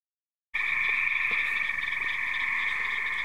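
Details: A dense frog chorus by a house: many high, trilling voices blend into one loud, unbroken ringing drone.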